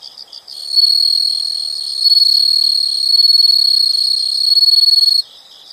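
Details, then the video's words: Insects in a nature sound recording: after a few soft pulses, a loud, high, steady buzzing trill with a fine pulsing texture runs for about four and a half seconds, then stops abruptly. "the sound of insects"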